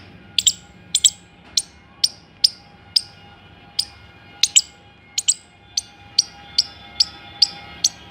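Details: Squirrel giving sharp, high chirps, each a quick downward-sweeping click repeated about twice a second, sometimes doubled, over a low steady hum.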